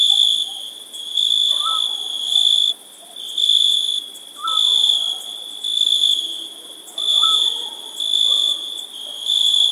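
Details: Crickets on a summer night trill shrilly in repeated surges, each lasting about a second, with brief near-silent gaps. Occasional faint, short whistled notes sit far below the chorus.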